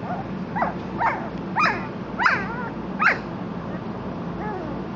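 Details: German Shorthaired Pointer puppies at a kennel giving high, squeaky yips that rise and fall, about five in three seconds, then quieter, over a steady low hum of background noise.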